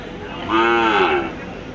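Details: Large black cow for sale at a cattle market gives one smooth, drawn-out moo of under a second, steady then gently falling at the end, with faint background murmur.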